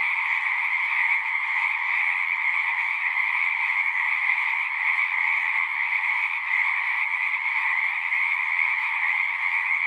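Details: Frog chorus from a pond in a horse pasture, recorded with a Zoom recorder; many callers overlap in a steady, ringing trill at two pitch levels, unbroken for the whole stretch, faint low rumble beneath.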